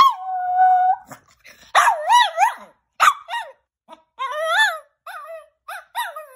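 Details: A Chihuahua named Rocco gives a string of high, wavering whines and yowls, rising and falling like attempts at speech, while being coaxed to say "I love you".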